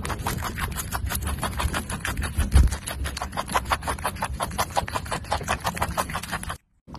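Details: A rabbit eating, heard as rapid, crisp crunching chews, roughly eight bites per second, steady for about six and a half seconds before a short silence; no other clear sounds.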